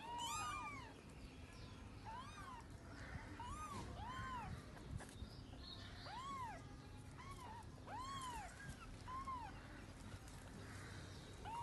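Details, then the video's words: Mother cat weeping for her kittens: fainter arched meows, one about every second, set against steady broadband noise and low hum. "cat look her kids for weeping"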